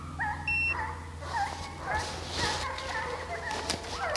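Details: Deer-chasing hounds in St Helena, South Carolina, give bent, yodelling bays that overlap one another, mixed with a beep, people talking and a steady low engine hum.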